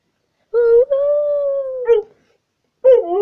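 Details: Pet dog "talking": a sustained, tonal howl-like vocalisation about one and a half seconds long, steady and slightly arched with rich harmonics, then a short break and a second rising-falling yowl begins; a person speaks affectionately around it.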